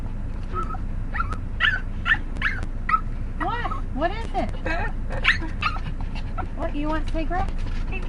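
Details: Pet dog making the strange noise it makes every time the household goes to get cigarettes: wavering, whiny yelps and arching whimpers that rise and fall in pitch, repeated in quick bursts, while a woman keeps talking to it.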